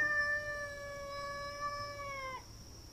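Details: Cat during a fight in a front yard: one sustained, even-pitched howl with rich overtones lasting over two seconds, then breaking off abruptly, with a steady high-pitched background whine and low hum.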